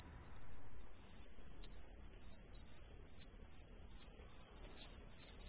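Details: Green tree crickets calling from street trees in a residential area of Ehime, Japan, many heard at once: a loud, shrill high-pitched chirping in rapid pulsed bursts, starting quieter and building to a steady run of about three chirps per second.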